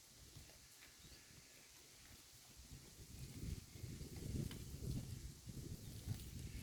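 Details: Grazing cattle herd cropping grass on a pasture; steady low chewing and tearing texture that grows louder midway, with faint hiss in the background.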